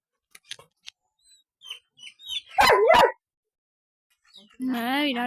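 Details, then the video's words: Two-year-old Golden Retriever, described as resting, lets out two sharp barks close together, then a drawn-out whining howl with wavering harmonics; quiet speech and small sounds precede it. "Peaceful Golden Retriever Resting"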